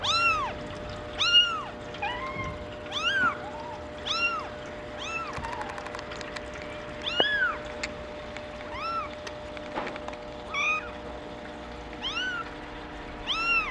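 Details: Young female Maine Coon, born April 28, mewing persistently: about fourteen shrill, arched cries in quick succession, a few softer squeaks between them and a faint knock near the end.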